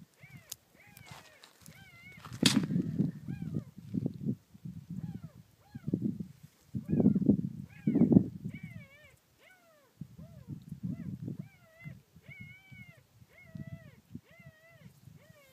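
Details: Thelma's puppies, at least two, cry from a hole beneath a car on a property, July 19, 2013: repeated arching, tremulous whimpers, several in quick succession, overlapped by a woman's low narration.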